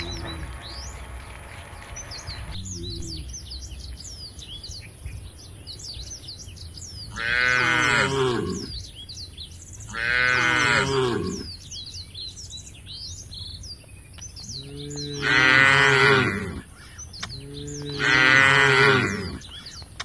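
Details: Tame cattle in a herd heading to the field beside the forest, giving four long, arching moos spaced a few seconds apart, with busy bird chirps and twitters throughout.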